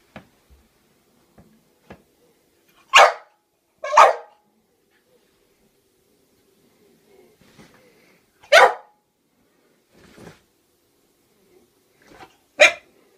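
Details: French bulldog, scared of clowns, barking indoors; short, sharp barks, a close pair near the start then single barks spaced several seconds apart, with quiet pauses and faint small noises between.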